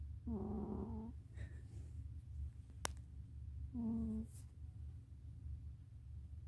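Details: Two buzzy, low-pitched snores from a cat, roughly three seconds apart and each under a second, with a quiet hum throughout and a sharp tick between them.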